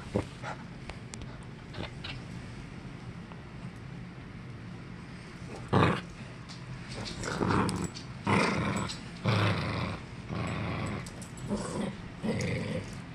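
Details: Pet Norfolk Terrier growling during a game of tug of war; low background hum, then irregular short gruff growls and snarls from about six seconds, some bursts louder than others.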